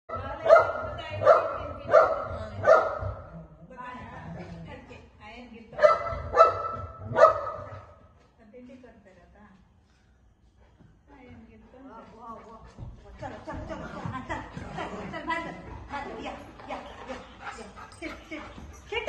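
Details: A pet golden retriever, playing and play-fighting with the mother of the household, gives a burst of four sharp, ringing barks in quick succession, then after a brief pause three more, followed by a woman talking and household noise.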